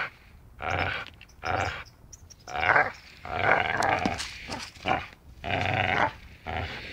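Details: Dachshund play-biting with rhythmic grumbling growls coming roughly once a second, rising into a busier stretch of overlapping snarls and grunts midway.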